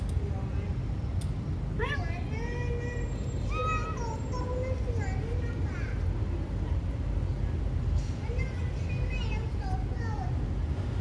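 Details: A kitten mewing repeatedly: a sharp rising cry followed by several wavering, bent meows, a pause, then a few more fainter calls, with a constant low hum and murmur underneath.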